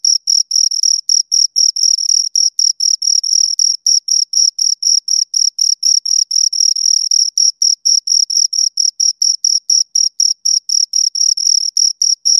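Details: Continuous stridulation from two crickets: sharp, high-pitched chirps repeat rapidly and fairly regularly throughout, with no other noise, voices or music.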